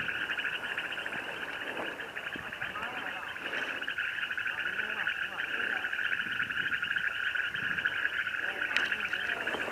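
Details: Frogs calling at Lake Ypacaraí: a dense, steady chorus of fast pulsing croaks that never pauses, with a person talking in Spanish over it.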